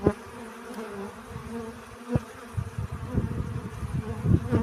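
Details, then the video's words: Bee gathering pollen, its buzzing drone wavering in pitch, broken by sharp clicks and low knocking sounds that grow busier toward the end. "Relaxing Bee Sounds. Сбор пыльцы."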